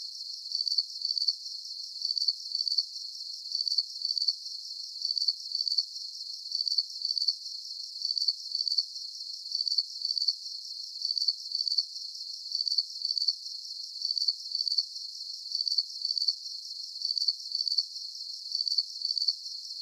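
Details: Crickets chirping steadily as a calming night soundscape for sleep, high thin pulses repeating in an even rhythm, grouped bursts roughly every half second with no other sounds.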